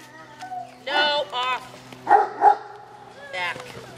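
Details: Pet dogs wanting an afternoon snack give a few short harmonic yips and barks in uneven bursts, while a person scolds them, telling Ebony she is not getting any.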